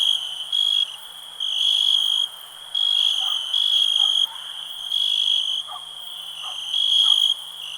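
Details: High-pitched cricket trill pulsing in regular loud bursts of under a second, separated by softer steady stretches, while faint lower chirps flicker in the background.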